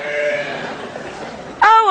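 A piglet gives a drawn-out nasal cry, then a sudden loud squeal that drops in pitch.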